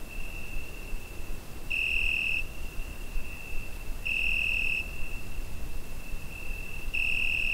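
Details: On a summer night a cricket keeps up a constant high, piercing trill, recorded with a Zoom H5, flaring into three stronger bursts around two and a half seconds apart against faint low ambient rumble.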